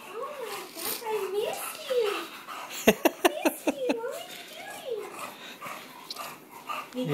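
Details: An 8-month-old male English Bulldog whines in wavering, rising-and-falling tones, with a burst of sharp yips, excitedly greeting his owner as she comes home.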